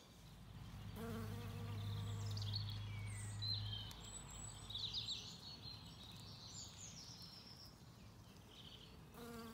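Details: A bee buzzing close by while feeding on wood anemones in spring sunshine, County Kilkenny, Ireland; a loud droning hum for several seconds that fades, then returns briefly, with birdsong twittering overhead.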